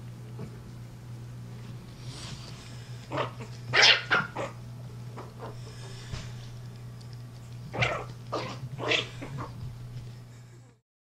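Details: Yorkshire Terrier puppy about five and a half weeks old, bottle-fed and raised indoors, gives a few short, high, yappy barks in scattered bursts, some paired, near the middle and toward the end, over a steady low hum.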